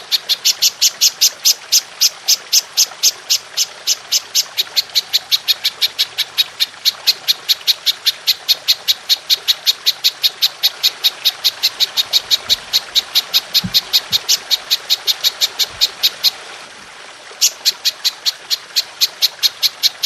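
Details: Golden grasshopper, presented as a long-shooting master recording for training songbirds: sharp, high chirps pulse steadily several times per second, a brief pause near the end, then resume.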